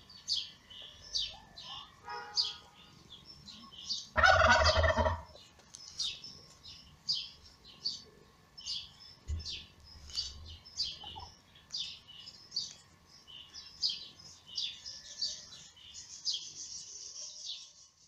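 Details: Shrill, rapid mewing of newborn kittens whose mother, the cat Lady Ginger, gave birth in May and feeds them; quick squeaks tumble out several per second, interrupted early by a loud rustling thump, with a faint hum throughout.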